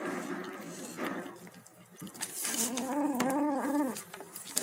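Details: Kitten eating, tagged tabby: noisy chewing and rustling first, then a wavering harmonic moan of about one second toward the end.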